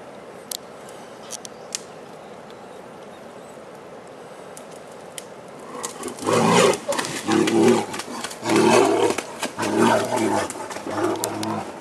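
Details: A male brown bear in Bulgaria, recovering from immobilization for research and fitted with a GPS-GSM collar, lets out a run of deep, rough groaning roars after a quiet start.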